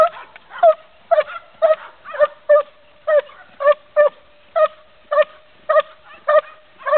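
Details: An 11-month-old Belgian Malinois barks during IPO defence training in the revir exercise, recorded 2 July 2008: a steady run of sharp, mid-pitched barks, about two per second, with short gaps between them.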